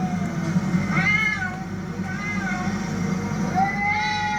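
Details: Cats fighting: drawn-out wavering yowls that rise and fall, harmonic and nasal, with gaps between them over a constant low background hum.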